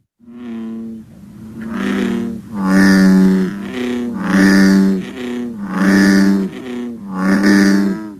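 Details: An American bullfrog (Lithobates catesbeianus), the largest frog and so the deepest caller, gives deep, booming 'broom broom' drones in a steady series, each over a second; the species calls from late spring through summer.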